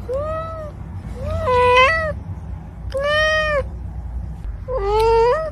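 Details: Pet cat meowing four times, each meow a drawn-out, clear, tonal call that rises slightly and then falls, spaced about every one and a half seconds, over a low background rumble.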